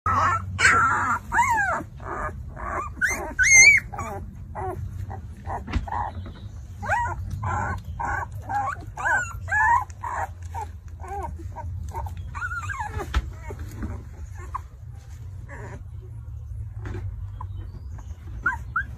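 Two-week-old Alaskan Malamute puppies whimper and squeal in short, high, wavering cries over a low hum.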